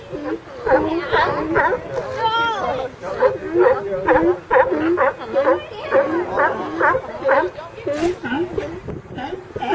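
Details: Ambient recording of a California sea lion group: dense, babbling barks and honks overlap in a steady stream about twice a second, with a brief rising whine near the start.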